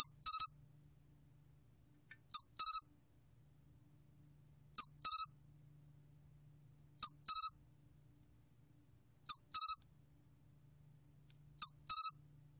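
A pine cricket sings in brief, shrill bursts, each made of two or three rapid pulses. The chirps come at a steady pace, roughly every two seconds, with silence in between.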